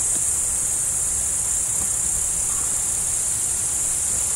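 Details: Cricket chorus accompanying a roe deer: continuous high, fizzing chirps blend into one even sheet of sound, with a faint low rumble below and no other clear callers.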